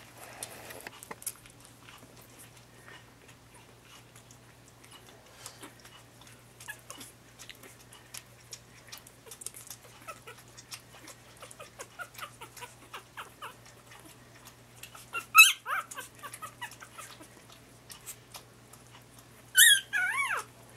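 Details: Lhasa Apso puppies just starting week four, in their puppy pen in late January, shuffle and gnaw quietly with faint clicks and chewing, then give a few brief, high, falling squeaky whimpers near the end.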